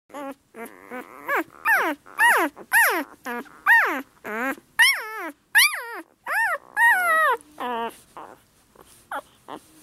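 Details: A 6-day-old yellow Labrador puppy gives high, squeaky yelps that rise and fall, one after another.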